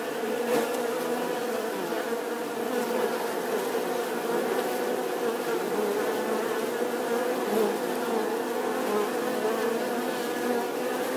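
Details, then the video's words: Steady buzzing of bees, a thick, unbroken humming drone with small wavering pitch bands and occasional faint ticks over the whole stretch. "The sound and picture of the Bee"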